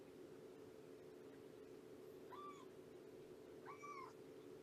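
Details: Cat in a foster home during a morning visit with a rescued mother cat and her three-month-old kittens; two faint, short meows, each arching up then down, about a second and a half apart, over a steady low indoor hum.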